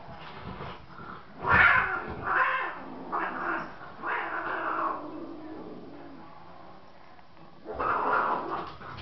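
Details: Loki attacking Catie in an indoor cat fight: a series of five or six short, rough yowls and hisses in quick succession, then a pause and one more drawn-out wail.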